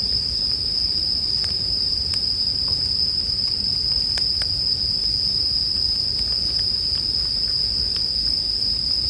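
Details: A continuous high-pitched chorus of bell crickets rings evenly, punctuated by occasional sharp pops of burning wood and a gentle low hum.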